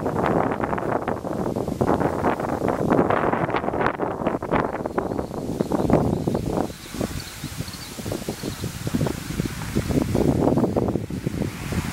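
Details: Gusty wind and rustling leaves fill the recording, with no clear animal call.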